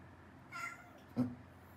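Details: Male dwarf cat with congenital hypothyroidism, indoors, seeking attention and affection from its dad while tense after a new cat arrived; a brief, faint meow followed by a soft knock, then quiet room hum.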